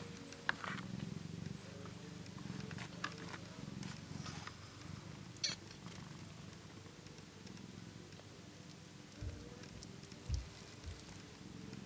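Ten-day-old British Shorthair kittens give a continuous low, throbbing purr that runs almost unbroken throughout. Brief soft clicks and faint rustling noises break in now and then.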